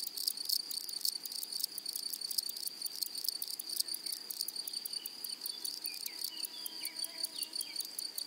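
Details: Grasshoppers in a flowery meadow: a steady high insect whine runs throughout, overlaid by rapid broadband rasping pulses in irregular bursts, with faint bird chirps appearing toward the end.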